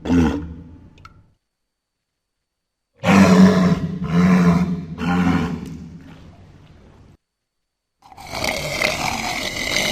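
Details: Walrus calling with deep, harsh roaring bellows: one short call, then three rough pulsed roars close together, and a broad noisy roar at the end, separated by abrupt silent gaps.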